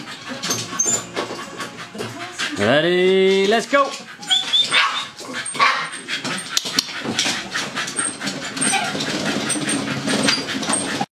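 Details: Two dogs having fun running on a Firepaw dog treadmill. One long whine, about a second, rises and then holds steady over the constant rattle and clatter of the treadmill belt.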